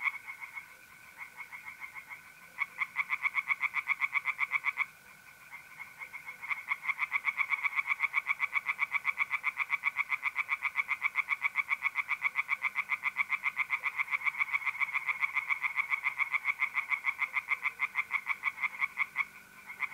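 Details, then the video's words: Tree frogs singing by night in an April pond, north-east Italy: a sustained chorus of rapid pulsed croaks, with a short break early on, layered over the continuous trilling of mole crickets. "relaxing singing tree frogs in pond"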